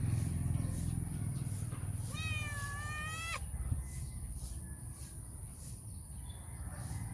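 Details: Stray female cat that comes to feed mornings and early evenings, asking for love and affection before eating; one drawn-out, wavering meow of about a second and a half, over a steady low rumble and a constant high hiss.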